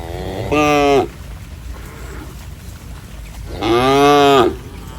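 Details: Cattle running and jumping playfully in mud: two loud, strongly harmonic moos, each rising then falling at the end, the first about half a second, the second nearly a second, separated by quiet with faint background noise.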